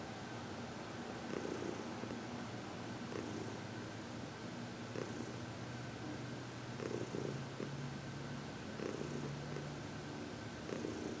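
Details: Heidi, a 14-year-old adopted female senior cat, purring through massage and reiki, February 22, 2021; a long, low, steady purr with a deep undertone, brightening in regular breath-linked pulses about every two seconds, no other sounds.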